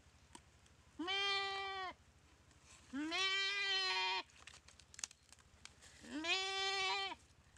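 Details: Paralysed goat attacked by a Komodo dragon in a dry riverbed at Komodo Village; three strained, trembling bleats of about one second each, evenly spaced, with light knocks between calls.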